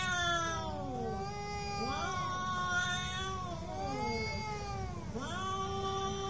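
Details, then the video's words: Cats in a fight trade loud wavering howls, tones bending up and down and overlapping in a dense tangle of harmonics, with little pause between yowls. "real cat fight with sound"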